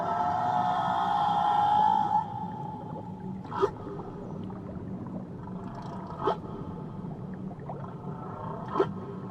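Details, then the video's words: Whale near Tahiti: a steady whistled tone holds for about two seconds, then brief broadband clicks or pops come every few seconds over a constant underwater hiss. "Nature Sounds Only Whales"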